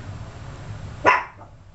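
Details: A single short, bright yip from 32-day-old Yorkshire Terrier puppies, sudden and quickly fading, over a quiet low hum.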